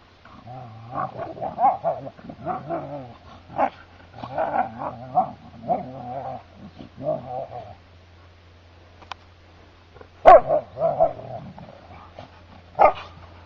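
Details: Two Siberian Huskies play fighting on a heath: a string of throaty, harmonic growls and moaning grumbles in bursts of about half a second to a second, with short pauses, and a few sharp clicks or thuds toward the end.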